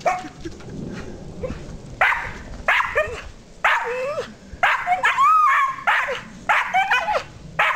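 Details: Rosie the dog up the backyard tree, making her so-called monkey noises: choppy bark-like yelps mixed with rising and falling squeaky whines and one longer wavering cry midway, delivered in uneven bursts.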